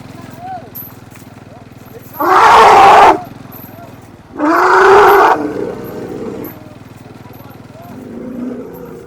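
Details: Asian elephant calf at its weaning ceremony, calling loudly after separation from its mother, whom it can no longer see. Two harsh, roaring bursts about a second long each, roughly two seconds apart, with men talking throughout.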